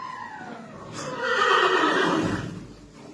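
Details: A horse in a clinic, fighting for its life and met in person for the first time, gives a long whinny that starts high, slides downward, swells loud in the middle and then fades, with a woman speaking just before.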